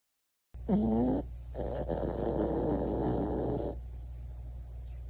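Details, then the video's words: Lucy, a sleeping Pomeranian-Chihuahua dog in Lakeside near San Diego, California, snoring: a short rising whimper-like tone, then a long raspy, breathy snore lasting about two seconds before quiet room noise. "Lucy SNORING counting sheep"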